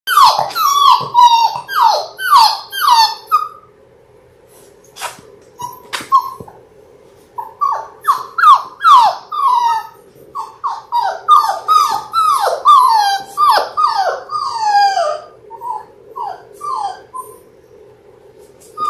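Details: Six-week-old Labrador Retriever puppies, a litter of six born January 18, 2022, on an indoor live puppy cam, giving repeated high whines and squeals that drop in pitch, in bursts with short pauses and a few sharp knocks between.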